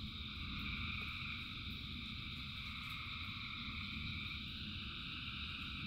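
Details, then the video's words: Massed frog chorus during rainfall. A constant high drone of overlapping calls in stacked bands, a few brief clicks, and loud low rain noise throughout. "Frogs in Rain 2 Hours of Frogs, Thousands of Frogs Singing"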